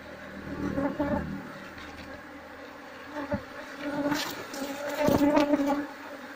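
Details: Asian honey bees (Apis cerana) from a wild colony being moved into a hive box; steady droning buzz holding a low tone, swelling and fading, with scattered crackles and knocks from handling the comb.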